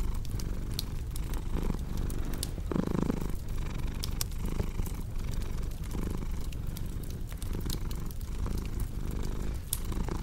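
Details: Low, continuous cat purr pulsing in breath-length cycles, partly masked by a wood fire's frequent crackling snaps and a brief louder rustle near the middle.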